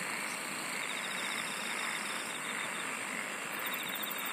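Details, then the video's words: Insects singing together in a steady, dense chorus of high buzzing tones, with a pulsed trill entering near the top late on over a constant shimmering hiss. "SINGING OF INSECTS"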